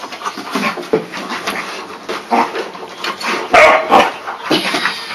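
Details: Two Pyrenean Mountain Dog puppies, aged seven and four months, playing with each other through a fence: short scuffling bursts, snorts and soft yips in quick irregular succession, with rustling between them.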